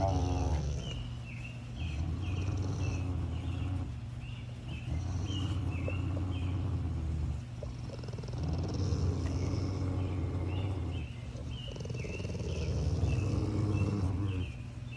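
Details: Rottweiler guarding a bone in a standoff, growling deep and unbroken, the rumble surging and dipping in waves, accompanied by runs of thin high-pitched chirps.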